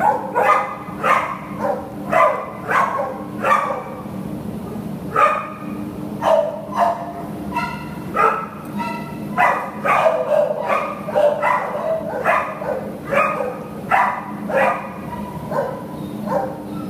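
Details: American Pit Bull Terrier available for adoption, barking steadily throughout: short, harmonic, mid-pitched barks come in quick bursts, roughly one or two each second, with brief pauses between runs, over a low steady hum.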